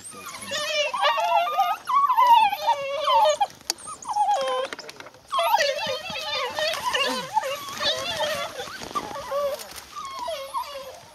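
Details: Several African wild dogs feeding on a fresh impala kill, giving dense overlapping high twittering, squeaky whines and chirps in bursts, a short pause near four seconds, with a person talking in the background.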